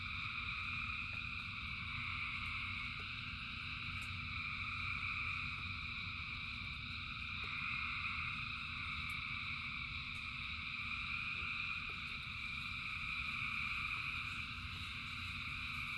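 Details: Rainy night chorus of many frogs, a continuous buzzing-trilling drone with occasional individual wavering calls rising above it, brief clicks, and steady low rain noise.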